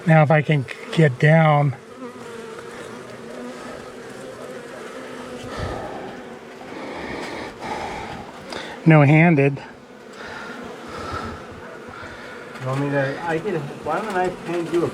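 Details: An agitated honey bee colony, long living inside a house wall, during a nighttime cutout rescue on March 6: a continuous low swarm drone runs underneath, broken by bursts of a man talking.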